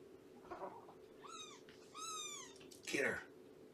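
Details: Shelby, an abandoned female cat of about two years with Purrfect Pals, mother of a three-month-old litter, on a morning visit: two clear arched meows, the second longer and drawn out, then a brief rustling thump.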